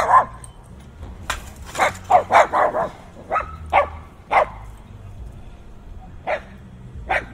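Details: Fierce barking from dogs, recorded binaurally with in-ear mics on a heavily windy day: a dense burst of barks around two seconds, then separate barks every half second to second, with low wind noise underneath.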